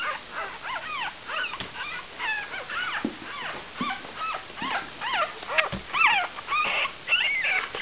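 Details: Cavalier King Charles Spaniel pups aged five days whimpering together; dense, high, nasal squeaks rise and dip in rapid succession, roughly two per second, with occasional soft thumps.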